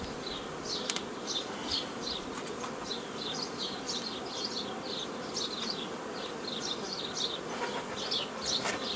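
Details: Continuous hive hum from honey bees on 15 May 2018 while nucleus colonies are made the old way from a foraging swarm, a thick low drone peppered with quick high-pitched chirps and ticks throughout.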